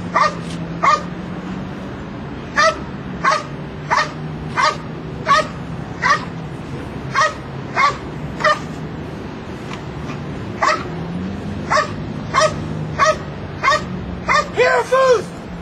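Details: Belgian Malinois named Luigi during a Schutzhund III protection routine in Escondido, California, barking in sharp single barks spaced roughly every half second to second over steady low engine-like hum, a quick cluster of barks at the end.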